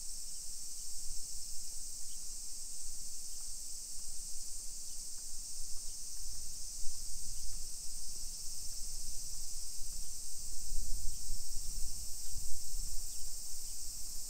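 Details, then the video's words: Cicadas singing at 1 PM on 28 July 2021 in a suburban residential area of Nisshin, near Nagoya, Japan. A continuous high-pitched hiss-like drone holds level throughout, with low walking and traffic rumble that swells toward the end. "Summer Cicadas Sounds"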